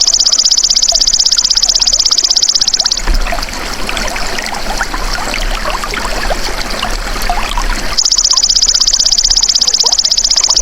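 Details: High, steady, rapidly ticking buzz of a golden grasshopper, a natural sound used to train songbirds, breaks off into about five seconds of hissing, water-like rushing before the same insistent trill switches back on.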